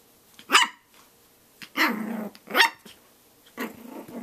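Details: Shih Tzu puppy named Snax attacking his own reflection in a mirror, giving sharp high yaps mixed with rough growling bursts, four outbursts over about four seconds, indoors; a Rottweiler is also present.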